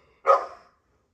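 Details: Female dogs at play: one short, loud bark lasting about half a second, broad and harsh, rising sharply and then fading, followed by silence.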